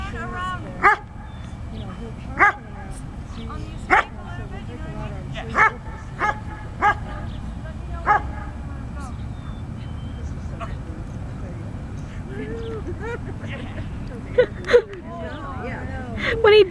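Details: Standard Poodle male working a sleeve in Schutzhund bite work, giving scattered single sharp barks every one to two seconds, then a pause and a few more, over constant low rumble and occasional handler speech.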